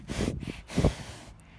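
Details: Friesian horse Romeo sniffing right up against the camera, expecting a snack: three quick breathy sniffs, a short pair and then a stronger huffing burst, with soft rustle and low handling noise afterwards.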